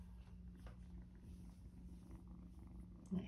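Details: Two female foster kittens, a gray one and a small black one, purring together in spring 2024: a soft, low, steady rumble with a faint electrical hum behind it.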